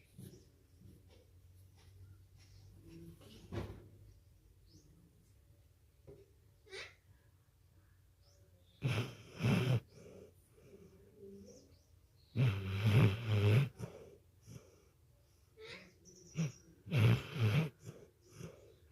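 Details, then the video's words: A sleeping dog named Ramdas snoring like a human indoors: low rumbling breaths with harsh, noisy snorts in bursts about every four to five seconds, quiet pauses between. "My Dog Ramdas😅 Snoring like human"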